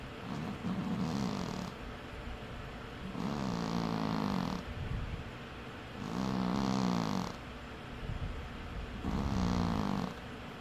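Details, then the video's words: Cat asleep and snoring steadily: four long, rough, wavering rumbles about every three seconds, each with a breathy upper hiss, evenly spaced against a faint room hiss. "Cat Snores"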